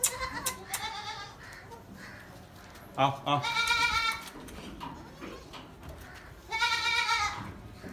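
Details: Newborn Gulabi goat kids on a farm, loud harmonic bleats around three and again near seven seconds, with shorter cries earlier, over a man talking in Hindi and background chatter.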